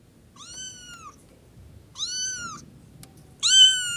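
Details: Kitten meowing, one of two baby cats: three clear, high, drawn-out mews, each slightly arched in pitch, the last loudest, in a quiet room.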